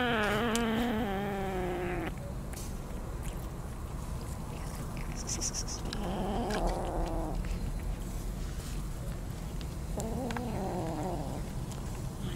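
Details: Yard kittens being fed barbecue meat give three drawn-out, wavering meows: a long one at the start lasting about two seconds, then two shorter rising-and-falling cries some four seconds apart, over steady background noise and eating sounds.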